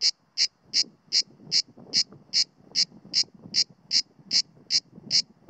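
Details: Mediterranean cicada (Cicada orni) singing on a pine trunk on the outskirts of Sueca, Spain, in September 2017, a wary individual not at full power; sharp, regular buzzy pulses repeated about two and a half times per second, with faint low background rumble.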